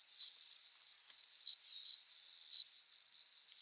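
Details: Summer night chorus of a cricket, an adult male rubbing its forewings in courtship: five short shrill chirps at irregular gaps, two falling close together, over a faint sustained high whine.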